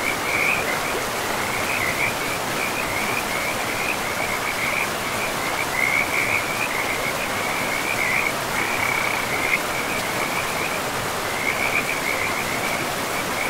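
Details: In a forest by a flowing river, frogs give an unbroken chorus of quick, high, raspy croaks at one steady pitch, pulsing on and off throughout, set against a loud, even wash of water.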